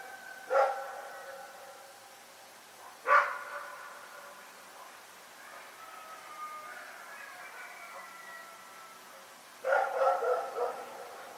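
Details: Dog Rex barks at night in Pyrga: two isolated sharp barks about two and a half seconds apart, a long lull, then a fast burst of several barks.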